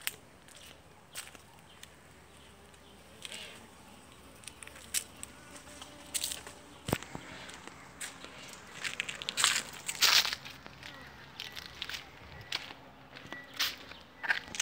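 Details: Honey bees at work inside their hive on the second super, filling combs about three weeks old and nearly full: a faint low hum beneath dense crackling, clicking and scratching, with sharper bursts of clicks near the middle.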